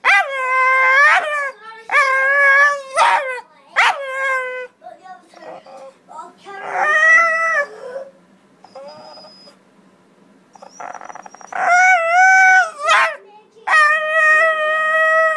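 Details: Dog "talking" in a run of drawn-out, howl-like vocal phrases whose pitch bends up and down, about six bursts with short quiet gaps between them.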